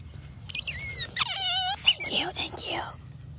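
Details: Wild otter filmed in an otter conservation setting, giving a run of high, thin squeaks with quavering, bending pitch, some rising and falling sharply, packed closely over about two and a half seconds against low background rumble.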